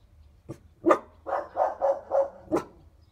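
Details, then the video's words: In Geneva, five-month-old puppy Evie learns to bark beside Roxy as they try to terrorise the neighbour's cat: a couple of sharp yaps, then a fast run of four hoarse barks and a final louder bark. "Evie learning to bark"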